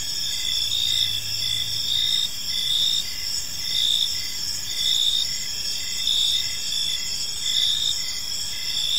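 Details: Several crickets chirp through a calm park evening, a continuous shrill trill with chirps pulsing just under once a second, a brief low hum early on and soft background noise.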